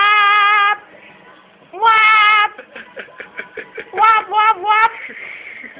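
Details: A talking cat indoors gives loud, drawn-out, strongly tonal meows that hold steady and sound like "whaaap". Two long calls are followed by a run of shorter, choppy yowls rising and falling in quick bursts.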